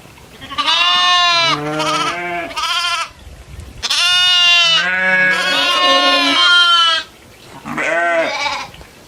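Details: Several goats out grazing in farm fields among cows and buffalo bleat in overlapping succession, their quavering, nasal cries at differing pitches running almost continuously, with a brief lull before a final bleat.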